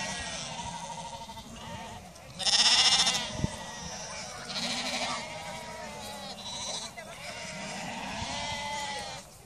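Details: Icelandic sheep bleating in chorus: thin, wavering bleats overlap throughout, with a loud harsh rushing burst near the start and a short sharp knock soon after.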